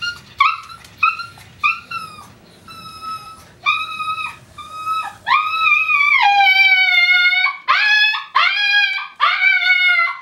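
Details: Male Tibetan Spaniel giving his alarm call when his owner leaves, from separation anxiety; it sounds like extreme pain but is a strange howl. Short yelping notes come first, then long, wavering, rising howls with rich overtones, repeated several times.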